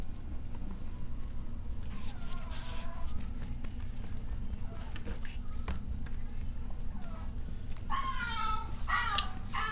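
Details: Cavalier King Charles Spaniel pups, six weeks old, playing together: a short harmonic yelp early on, then a burst of several quick, falling squeals near the end, over steady scuffling and tapping of paws.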